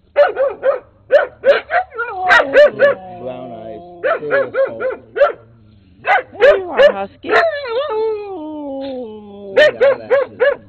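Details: Rusty the brown skinny mutt barks up a storm with Peekero, a red Husky, in late 2006; repeated clusters of piercing yaps alternate with long descending whines and sliding howl-like tones throughout.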